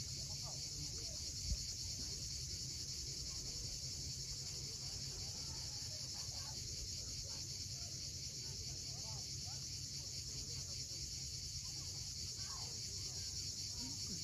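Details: Cicadas at sunset on the steep coast of Cape Fiolent, Crimea: a steady, dense, high-pitched hissing drone that never breaks, over a deep rumble of sea waves.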